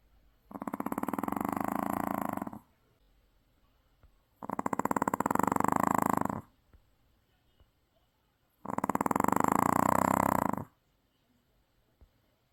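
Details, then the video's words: Exhausted Maltese dog deeply asleep after returning from the sea, snoring loudly in three long rattling, buzzy breaths about four seconds apart, with near silence between them. "바다 갔다와서 떡실신한 말티즈 역대급 코골이"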